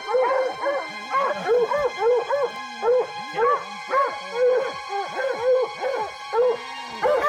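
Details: Pack of hunting hounds baying at a cat they have likely treed: rapid arched, ringing bays from several dogs, about two each second in bursts, with soft music droning underneath.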